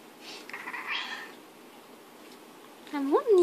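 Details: A British Shorthair cat talks back to a person, giving a short rising-then-falling meow after a brief human voice.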